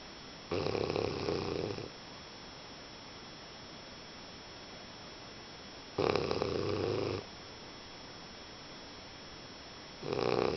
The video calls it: English Bulldog snoring